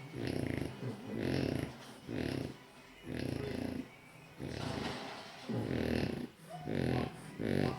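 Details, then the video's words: A napping French Bulldog snores loudly in deep, rasping bursts roughly once a second. "Snoring loudly dog french bulldog"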